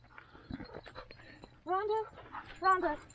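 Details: Standard poodles, sisters in a family group near Sun Valley, Ketchum, Idaho, whining: two loud arched, harmonic whines, each about a third of a second, following a woman's quieter spoken coaxing.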